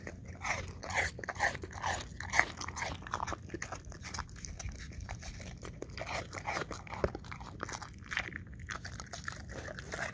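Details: English Cream Golden Retriever munching apple chunks in an ASMR recording: bright, crackling crunches about twice a second, several sharper bites early on, then steady juicy chewing with a faint low hum beneath.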